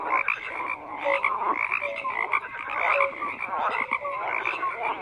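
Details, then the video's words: Frogs croak continuously in a crowded chorus, raspy pulsing calls blending with scattered short tonal notes, loudness swelling and easing. "FROGS CROAKING"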